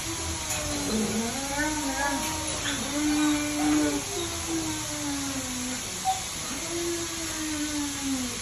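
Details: Huskies playing together during mating, giving drawn-out whining, howl-like moans that glide up and down in pitch, one after another without pause, over a steady background hiss.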